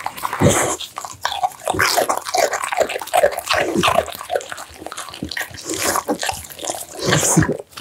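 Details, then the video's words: American Bully dog eating steamed pumpkin, minced duck meat, tofu and dried mixed vegetables indoors, close-up: dense wet chewing, smacking and slurping with quick clicky bursts of jaw and lip noise, steady throughout with brief pauses. "American Bully ASMR Mukbang: The Most Intense Eating Sounds!"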